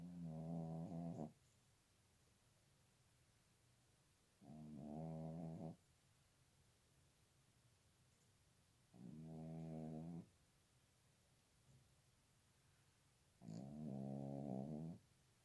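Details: Four long, moaning notes of a dog singing in cold winter weather, each rich in harmonics and lasting around a second, spaced about four to five seconds apart with quiet pauses in between.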